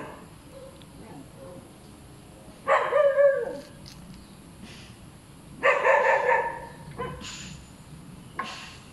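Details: Two separated bouts of dog barking, each a short run of rough, harmonic barks about three seconds apart, with faint background murmur and a high thin tone at the end.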